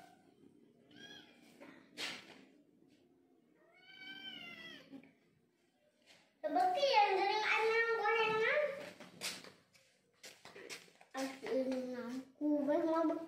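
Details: Village kitten meowing indoors, several rising and falling harmonic meows, the loudest stretched and wavering mid-clip, with a person's voice and rustling between the calls.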